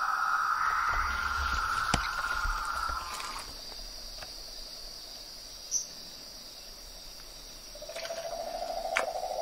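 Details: Frogs and toads calling outdoors in nature: a rapid pulsed mid-pitched trill for the first few seconds, then quieter ambient hum with a steady high insect-like whine, before a lower pulsing trill returns at the end.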